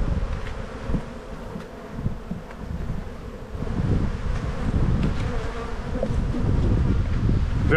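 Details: Spring hive inspection of honey bees: a dense, low, rumbling buzz that swells louder in the second half, with brief knocks from the beekeeper moving frames.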